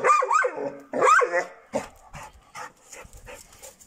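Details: Six-month-old Šarplaninac puppy Bitzer lets out two loud, whiny yelping barks, each rising then falling, about a second apart, followed by a scatter of quieter clicks and rustles.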